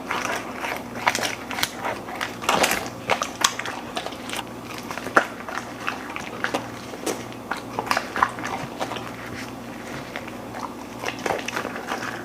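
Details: Golden Retriever eating a raw and freeze-dried meal indoors, mostly quiet room hum broken by crisp individual bites and clicks of teeth, irregular and spaced out, with occasional short clusters of crunching.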